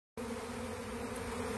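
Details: A swarm of tens of thousands of honey bees, newly left their hive and settling on the bottom of a chain link fence while seeking a new home, heard from inside the swarm: a dense, steady, low droning buzz with a strong pitched tone.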